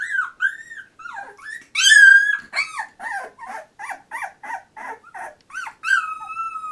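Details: Fourteen-day-old Labrador Retriever puppy of litter J giving loud high squeals and whines, some long and drawn out, others short and quickly repeated, rising then falling in pitch, in a quiet room.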